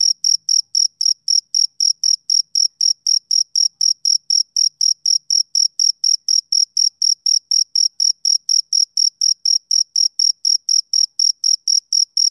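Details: Rhythmic chirps from a male cricket on a summer evening, each bright, high note repeated about twice a second in an unbroken even train, background silent.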